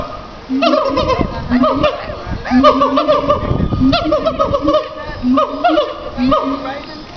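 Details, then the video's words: Siamang at Riverbanks Zoo in Columbia, SC, gives loud barking calls: a series of harmonic, rising-then-falling notes repeated about every half second, some overlapping, with short gaps and faint background voices. "Barking Siamang"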